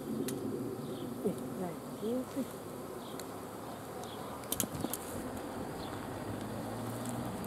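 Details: Honey bee swarm giving a continuous low humming drone, with short bird whistles and chirps laid over it and scattered clicks near the end.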